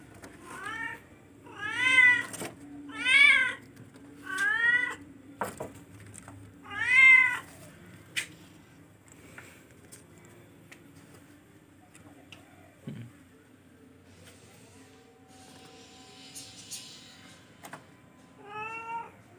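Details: A charcoal F1 cat meows repeatedly indoors: five rising-falling, harmonic-rich calls in the first eight seconds, then a quiet stretch with faint background rustling, and one final meow near the end.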